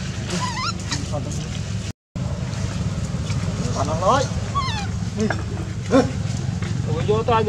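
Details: Baby monkey Luno cries loudly while its mother Luna mistreats it; a series of high, wavering whines that rise and fall in pitch, repeated throughout over a steady low hum, broken by one brief silence.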